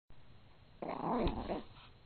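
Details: Female dog growling playfully while refusing to give up her ball during fetch, playing keep-away; one low, rough, rumbling growl lasting about a second after a quiet start, with steady low background hum.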